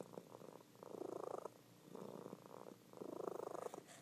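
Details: Sleeping female domestic cat purring loudly; soft rumbling purr in three rhythmic bursts of about three-quarters of a second each, rising and falling with her breathing, separated by brief quieter pauses.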